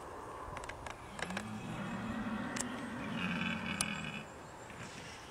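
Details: Red deer stag bellowing during the rut: a long, low, drawn-out roar with a wavering tone, lasting about three seconds, over steady outdoor background noise with a few faint higher clicks.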